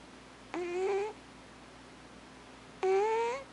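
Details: Thames, an alpha cat, vocalizing in his sleep indoors: two short, tonal, rising moaning calls about two seconds apart, with a quiet room in between.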